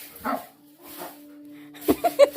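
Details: Labrador dog named Golden, startled as a prank at home: two broad, rough barks half a second apart, then a quick run of four short, sharp yips, over a steady low hum.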